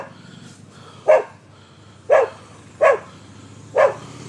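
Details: A dog in Seminole, Florida gives four sharp, mid-pitched barks, spaced roughly a second apart, recorded on the morning of October 25, 2015.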